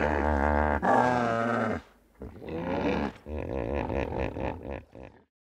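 A hippopotamus gives a deep, rumbling bellow, then a run of rapid, rhythmic honking grunts, about four per second, fading out.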